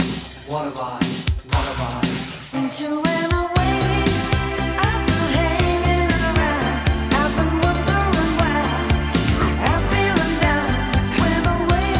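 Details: Pop-funk song with a vocalist over a steady beat and bass, continuous music without animal sounds.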